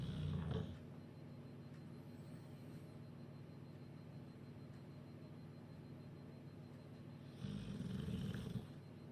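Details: Sleeping bulldog Duke in Huddersfield, snoring after a chicken curry: a short low rasping snore right at the start, then a long pause with only a soft background hum, then another deep gravelly snore about a second long.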